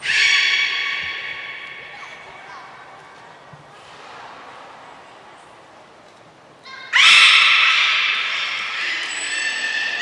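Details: Belugas at Port of Nagoya Public Aquarium, 2 April 2023, in a training session joined by the whole group: a strong harmonic squeal opens, then quieter murmuring, then a loud, sudden, shrill, buzzy burst of calling that lasts to the end.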